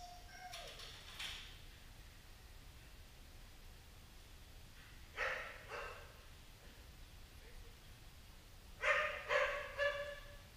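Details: Dogs during training: Safar, a white Central Asian Shepherd, helps train Gracie, a pointer. A short harmonic whine comes early, then two separate barks midway and a quick burst of three or four louder barks near the end, over a low background hiss.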